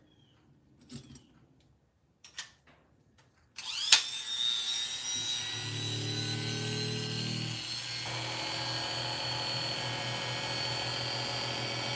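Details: A few soft knocks, then a steady whirring grind of a power sharpening tool running, and no animal sounds.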